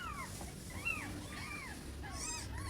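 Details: Newborn kittens kept indoors with their mother give thin, high, arching mews in a quick irregular series, several overlapping, above a low background rumble.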